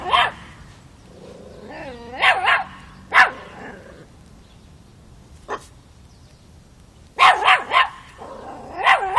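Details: Miniature Pinscher puppy Chocolina (Chiquita), five months old, facing a grown cat in Kiev, Ukraine, October 2013: shrill yapping barks in short clusters with quiet gaps, one lone bark midway, a woman's voice briefly heard.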